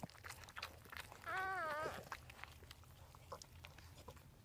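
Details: Newborn Dachshund puppy during its mother Daisy's whelping, with her sister Pumpkin helping clean up: a short wavering high squeal lasting about half a second amid rustling, with a woman speaking softly nearby.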